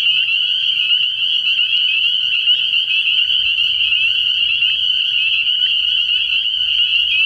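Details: A night chorus of spring peepers at a frog pond early in the year. Countless high piping calls overlap into one continuous shrill trill, with a faint low rumble entering halfway through.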